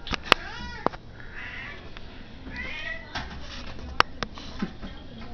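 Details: A tubby domestic cat demanding to be fed dinner gives drawn-out, wavering meows, with sharp clicks and knocks around it as the owner asks what she wants.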